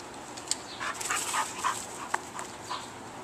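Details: Bull Terrier giving short, breathy whimpers and yelps, a quick uneven run of brief mid-pitched squeaks over about three seconds, set against a steady hiss of background noise.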